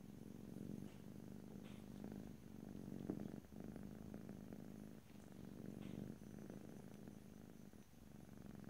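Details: A cat purring, recorded close up in stereo with no talking: a continuous low, throbbing rumble that swells and eases with each breath, roughly every one to two seconds.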